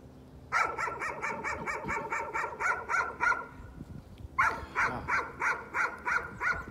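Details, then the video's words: Nuisance barking from a dog that has kept at it for thirty minutes, delivered in two fast bursts of high, clipped barks, roughly three a second, separated by a short pause. "Nuisance barking again."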